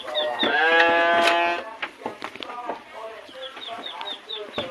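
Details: A Garut fighting sheep kept in a pen and fed fresh grass lets out one long, strained bleat near the start. Afterwards come rapid, high chick peeps and brief rustling.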